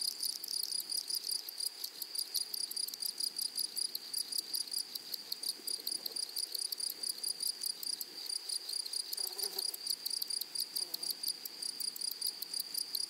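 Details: Grasshoppers in a flowery meadow or prairie: a steady high, thin ringing tone with rapid pulsed bursts running throughout, the pulses coming in quick uneven groups, over faint low rustling.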